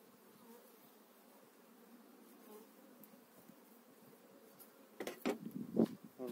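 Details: Honey bees being moved into a new hive in spring 2018, as the frames are checked: a soft, even buzzing drone for about five seconds, then sharp clattering handling noises near the end.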